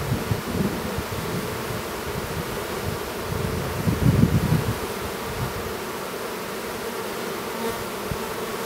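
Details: A continuous low buzzing hum of honey bees at an apiary near Duluth, Minnesota, as a newly developed drone works to emerge from his cell, with rumbling low bumps and a louder surge around the middle.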